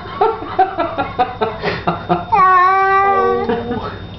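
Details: Pet cat during a bath: splashy, pulsing sounds and clattering first, then one clear, sustained meow lasting about a second, slightly falling at the end.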